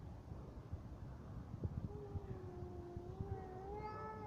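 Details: During a cat fight a faint, low, steady moaning yowl emerges halfway through and swells into a brighter rising cry at the end, over rumbling background noise.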